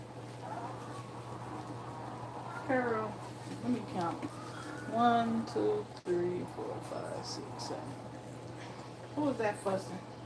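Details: Quiet squeaky whimpers from two-week-old puppies while nursing, scattered thin tonal cries that rise and dip, separated by pauses and low room hum, one sharp click midway.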